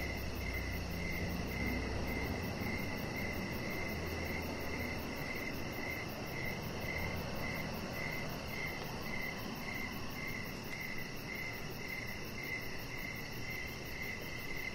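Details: Crickets calling on an evening deck, chirps recurring a little over twice per second in a regular stream, backed by steady low noise and a faint quick high-frequency ticking.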